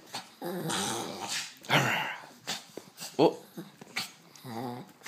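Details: Thirteen-year-old Shih Tzu playing with a toy rat indoors, giving low rumbling growls in bursts with harmonic tone, broken by scuffling and rustling of the toy and a sharp higher yip near the end.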